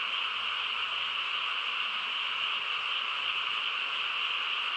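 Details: Countryside night chorus of frogs: a constant, high, rasping trill from numerous animals blending into one steady sheet of sound, with a faint low hum underneath.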